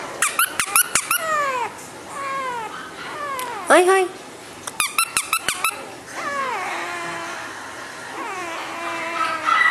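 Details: A male, flat-nosed Shih Tzu gives high, falling whines and squeaky whimpers between sharp clicking taps.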